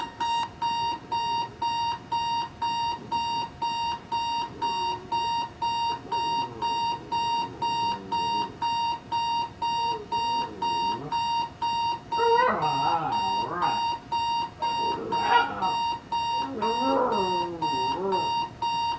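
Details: Pet dog Jax howling in reaction to an alarm clock beside the bed indoors; a beeping alarm pulses twice a second throughout while the dog's wavering, sliding howls rise and fall beneath it, growing louder and higher in the second half.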